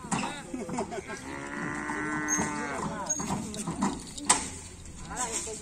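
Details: Cattle at a kerapan sapi bull race, described as raging, give a long, level moo through the middle of the stretch amid other overlapping lowing, crowd noise and a sharp knock late on.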